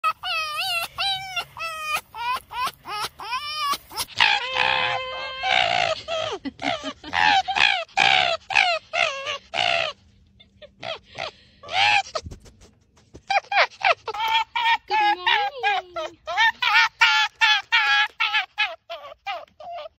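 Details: Foxes making laughing calls; rapid runs of high, squealing, cackling yelps, several per second, in bursts with short pauses and one longer gap around twelve seconds.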